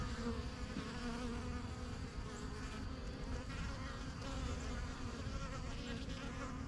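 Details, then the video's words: At a new backyard hive, honey bees come and go from the yellow box, their wings producing a full, rich drone that swells and dips slightly while staying steady and low. "BUSY BEE HIVE AMBIENCE"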